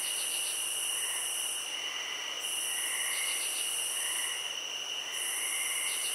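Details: Crickets in a field, heard as a steady high-pitched ringing trill under a louder, buzzier pulsing layer that cuts out for about a second at a time, with soft lower chirps scattered through.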